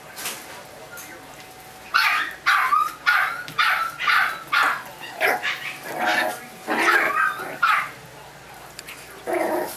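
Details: After a quiet start, Chihuahua puppies break into a steady string of shrill yapping barks, about two per second, uneven in loudness, continuing to the end over light background hiss.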